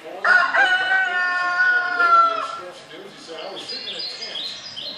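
A Siberian Husky puppy gives a long, high, steady wavering howl that slowly drops in pitch.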